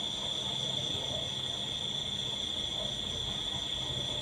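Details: Crickets in a steady, continuous high-pitched chorus, an unbroken shrill ringing tone with faint fainter overtones above it and a low rumble of background noise beneath.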